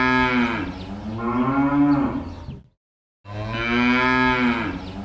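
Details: Two long, deep cow moos in a barn, each a drawn-out lowing that bends in pitch before a short pause.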